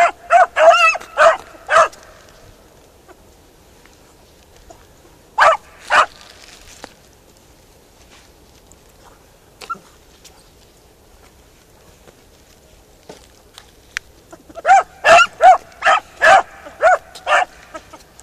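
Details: Beagle Harrier on a ploughed field: an opening flurry of rapid barks, a lone pair midway, long quiet stretches, then a fresh fast burst of ringing, musical barks near the end.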